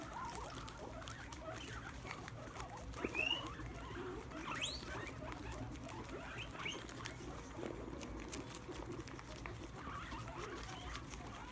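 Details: Guinea pigs gathered at a plate of sprouts on the ground squeal with glee while munching. Steady chewing and rustling run throughout, broken by a few sharp, rising whistled squeaks near the middle.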